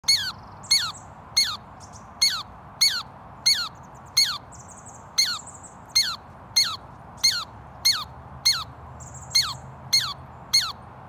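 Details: A female Douglas squirrel gives a steady series of sharp, high chips: low-intensity, gentle warnings to a nearby juvenile squirrel not to approach while she is eating.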